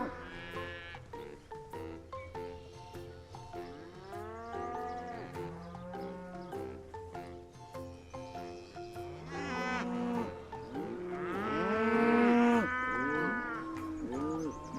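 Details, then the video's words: Several cows, herd animals held sacred in India, lowing in overlapping, drawn-out moos that bend up and down in pitch and swell louder toward the end, with faint music underneath. "Som de Vacas"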